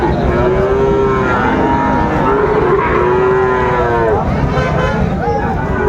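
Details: Moos from cattle at Raniganj haat in Dinajpur on 3 September 2024, where Friesian and crossbred bull calves are traded: a series of arching, mid-pitched lowing calls rise and fall over dense background voices of the market crowd.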